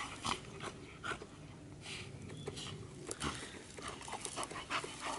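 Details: Bull terrier panting in quick, breathy, rhythmic bursts of hiss, with soft clicks and rustling between breaths.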